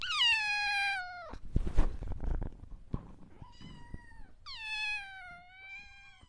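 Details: Cat meowing in a funny-sounding call: two long, drawn-out harmonic meows, the first at the start and the second near the end, each falling slightly in pitch, separated by a noisy, scuffling middle section with a brief softer meow.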